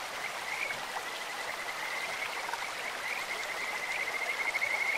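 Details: In a clear stream, Kajika frogs give a steady run of high, fluttering trilled calls that grow louder near the end, over broad hissing stream noise.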